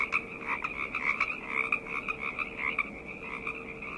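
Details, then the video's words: Nighttime frog chorus, overlapping croaking trills forming a constant throbbing din, with a faint steady mid-pitched hum running through the background. "Frog Chorus - Night Ambient Sounds"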